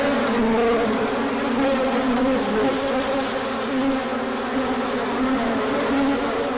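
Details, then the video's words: Honeybees swarm out on a large orientation flight on 24 March 2024, as the sun returns after a colder spell. A dense, steady buzz of many wings holds throughout, with wavering hum tones rising and falling against each other. "Large Orientation Flight."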